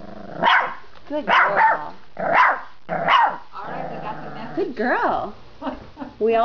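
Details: Young female dog indoors at the back door, yapping at a noise outside in the backyard; four quick high barks about a second apart, then whiny yelps mixed with a woman's praising voice.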